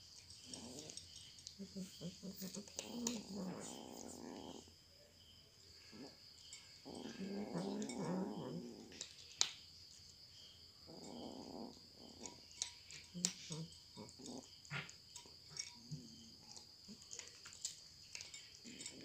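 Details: Cat eating indoors: sharp crunching clicks scattered throughout, with several broad rumbling bursts of one to two seconds each, separated by short quiet gaps, over a steady faint high hum.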